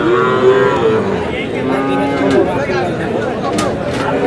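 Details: Sahiwal bull calves in Chuadanga on 4 July, where a farmer was buying cattle: overlapping lowing calls, long harmonic moos sliding gently downward, set against busy chatter and background crowd noise.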